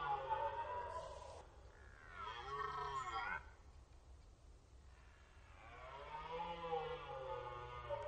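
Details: Red deer stags roaring in the rut on the Orzysz military range in Poland, archival: several drawn-out, moaning harmonic bellows spaced a few seconds apart over a constant low rumble.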